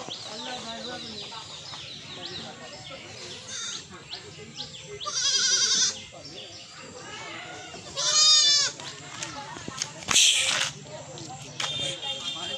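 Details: Baby goats on a village goat farm in Bangladesh bleat in three loud, high, quavering bursts spaced a few seconds apart, over people talking and small birds chirping in the background.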